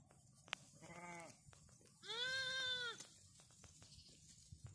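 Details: Sheep (Ovis aries), bleat: lamb calling its mother.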